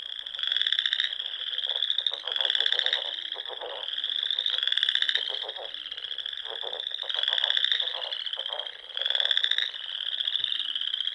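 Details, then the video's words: Many frogs calling together at dusk in spring from Sandhills ponds, Nebraska; overlapping high pulsed trills form an unbroken wall of sound, peaking in strong waves every two seconds or so, with faint lower rattles. "RELAXING SOUNDS OF FROGS"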